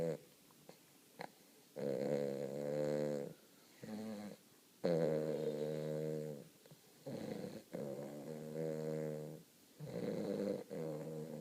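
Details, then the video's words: Young Weimaraner puppy napping indoors, snoring in drawn-out buzzy, rattling breaths lasting one to two seconds each, separated by short quiet gaps, low and harmonic-rich in a small room. "Snoring dog"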